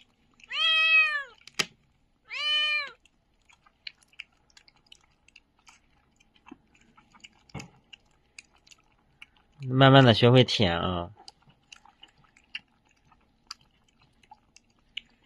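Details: Newborn puppy from a litter abandoned at a doorway late on a winter night, squeaking from the cold: two arched, high whining squeaks about a second apart, then a burst of human speech and faint clicks in a quiet room.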